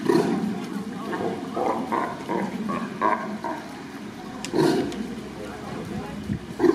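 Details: Sea lions trading calls with one another, recorded on 2 May 2023: loud, hoarse, bark-like bursts in quick uneven runs, rising and falling, with a sharp click midway and a final harsh bark.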